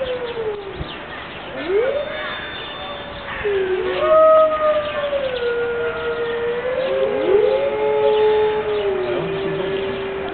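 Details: Five captive Siberian wolves howling together on a rainy morning at Berlin Zoo; several overlapping voices with long, smooth glides that rise, hold, then fall, quieter at the start and building into a layered chorus.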